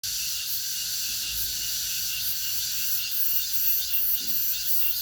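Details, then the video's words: Cicadas singing in August: a dense, steady high-pitched buzzing chorus that swells and fades in gentle pulses over a faint low background rumble. "the sound of the cicadas in August(8월의 매미소리)"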